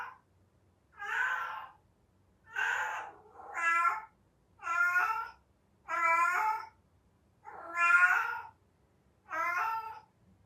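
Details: Heat-season cry of a domestic cat: seven insistent, harmonic meows, some broken into double notes, repeated about every one and a half seconds in steady succession; nothing else audible.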